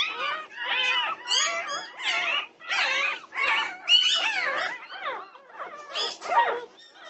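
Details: Norwegian Buhund puppies in a 2:30 am uproar, June 8, 2021: loud, rapid, pitch-swooping whines and yelps, tightly packed and overlapping, easing slightly toward the end.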